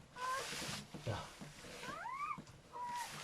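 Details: Newborn German Shepherd puppies, from a litter of seven, crying during their mother's whelping: thin, high arched squeals rising and falling, several in a row with brief gaps, over soft low background noise.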